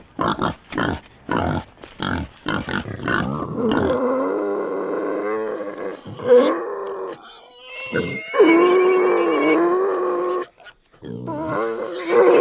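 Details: Wild boar in forest at night giving a quick run of short, rough grunts, then drawn-out moaning squeals.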